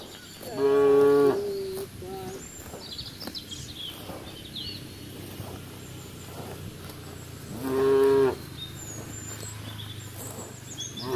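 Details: While cows graze on grass in the fields, one short, full-toned moo comes early and a second comes about seven seconds later, separated by quiet outdoor ambience with faint high chirps.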